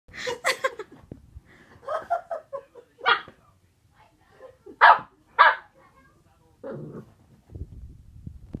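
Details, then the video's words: Boxer puppy barking at a pot of pencils, filmed 7 June 2020; high yappy barks, a quick double bark at the start, then single sharp barks spaced a second or so apart, with faint low rustling near the end. "Boxer puppy barking at a pot of pencils"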